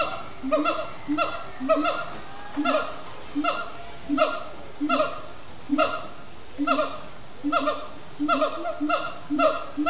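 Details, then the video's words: At sundown in Disney's Animal Kingdom, siamang gibbons chant in extended song; honking, swooping harmonic notes come in regular bursts roughly every second, with faint higher sliding tones woven between. "Siamang gibbons at Sundown"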